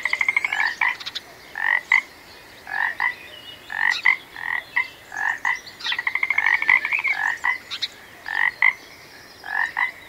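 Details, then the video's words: Frog croaking in a relaxing nature setting: short, rapidly pulsed, rattling croaks repeat about once a second in steady bursts, some drawn into longer trills, with a few faint high chirps above. "Magical Frog Sounds"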